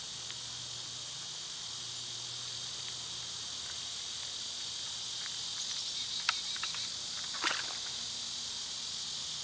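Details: Cicadas singing in summer, their constant high shrill drone filling the whole stretch, broken only by a couple of brief sharp clicks or rustles near the end.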